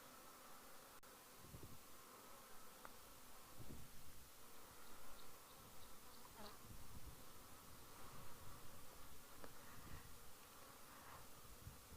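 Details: Many bees, thought to be mason bees and not honeybees, gather at a mud wallow, apparently collecting mud to build nests; a low, continuous droning hum with fluctuating loudness, steady background hiss and a few faint higher ticks.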